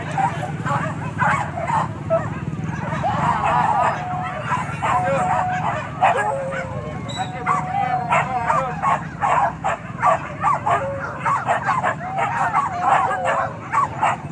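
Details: During a wild boar hunt at Kayu Ampek in Tanjung Emas, Tanah Datar, many dogs keep up dense, irregular bursts of sharp barks and yips, with people talking in the background.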